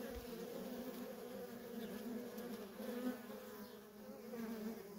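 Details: Steady droning hum from the nonstop traffic of worker honey bees at a feral colony, with a short low knock at the start.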